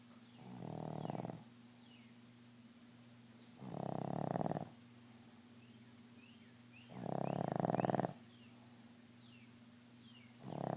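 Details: Macie, a Boston Terrier, snoring loudly: broad raspy snores lasting about a second, repeating roughly every three seconds, with faint chirping in the quiet gaps.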